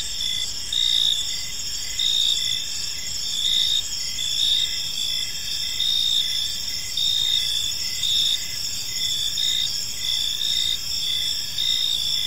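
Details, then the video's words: Crickets chirping in a peaceful park as evening unfolds, a dense high-pitched chorus of steady trills with pulsing chirps swelling roughly every second or two, layered over a soft low background hiss. "Cricket Sounds in a Peaceful Park"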